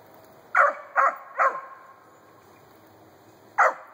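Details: A 4-month-old female Treeing Cur barks at a grey squirrel den while treeing on her first squirrel tree: three quick sharp barks, a pause of two seconds, then one more bark.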